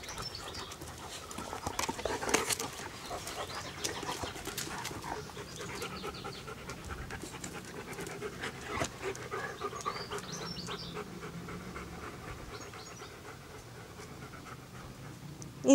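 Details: German Shepherd dog playing with an American Staffordshire Terrier puppy, recorded in 2008; steady rapid panting breaths throughout, with occasional scuffling and a sharp sound at the very end.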